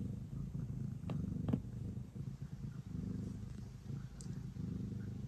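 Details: Pet cat Ace kneads and purrs before bedtime, a close, low vibrating rumble that pulses evenly throughout, with a couple of faint taps and rustling noises near the start.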